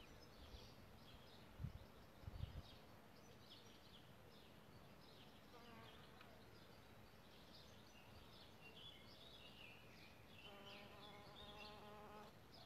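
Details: Solitary bees nesting in a bug hotel: a low, steady buzz rises near the end as a bee passes close. Faint bird chirps sound throughout, and two soft knocks come early on.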